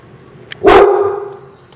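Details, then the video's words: Pet dog Snickers, also called Snicky, barking at a turtle in Florida: a single loud, sharp bark with a strong harmonic tone that fades over half a second, with a low steady hum and faint clicks behind. "Snicky Barking at A Turtle"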